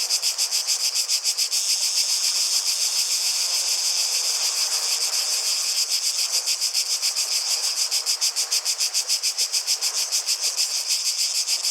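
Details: Cicadas in full song: a loud, high, buzzing drone beating in clear regular pulses about three times per second, steady throughout, over a quiet background rush.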